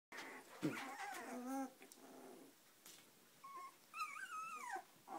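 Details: Samoyed puppies, 18 days old, finding their feet: high whining whimpers with wavering, falling pitch, a few drawn-out cries separated by short quiet gaps, indoors.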